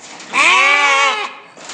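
A goat gives a single loud, wavering bleat lasting about a second.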